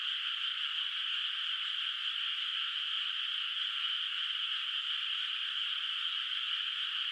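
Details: Rural rice field at night under soft moonlight, unplanted water, with frogs calling in the distance; a thick blended chorus of high trills sounds as one seamless, even wall of sound.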